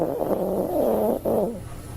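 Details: Toy poodle sleeping soundly and snoring: a wavering, nasal, tonal rasp drawn out over about a second, a brief pause, then another shorter wobbling breath, steady and close.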